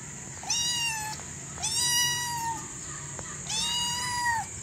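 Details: A hungry kitten gives three high, drawn-out meows, each rising briefly then holding steady, with a faint steady hiss behind.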